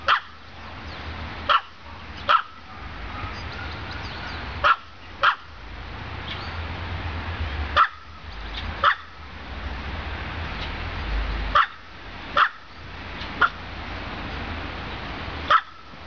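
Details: Repeated abrupt barks from Olive, a female pet dog, spaced irregularly about one to two seconds apart, some doubled, with a low rumbling hum underneath.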